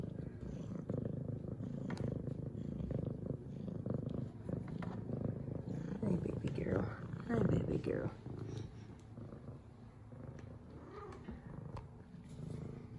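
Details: F2 Savannah cat Zara, a female pet, purring while greeting her owner with purrs and headbutts; a steady low rumbling purr runs throughout, with a woman's cooing voice speaking over it.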